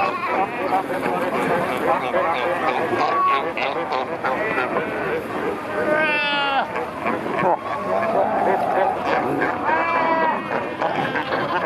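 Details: Fur seal colony at Pelican Point, Walvis Bay, Namibia, heard from kayaks among animals in the water during pupping time; loud rising-and-falling bleats stand out at about six and ten seconds above a busy background of calls, water and voices.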